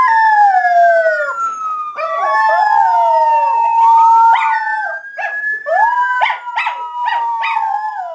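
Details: Two Miniature Schnauzers, Duke and Duchess, in a joint howl: long wavering tones sliding down and up, overlapping voices, ending in a run of short pulsed yelping notes.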